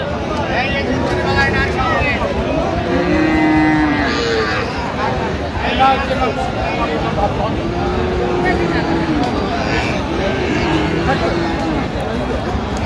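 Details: Friesian and crossbred bull calves at Raniganj cattle market in Dinajpur, Bangladesh, on 16 October 2025. Several drawn-out, harmonic moos rise and fall over steady market chatter, with voices bargaining and traffic noise throughout.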